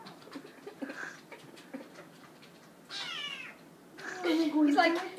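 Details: Little kitten meowing to get into the dishwasher; a bright, harmonic meow midway and a louder, longer wailing call at the end, with a person's voice and household clatter nearby.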